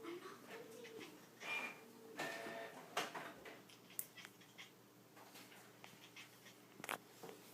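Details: Hibiki the cat makes strange noises while trying to coax a string down: brief nasal, bleat-like calls, one with a thin sustained tone early on, mixed with sharp clicks and knocks.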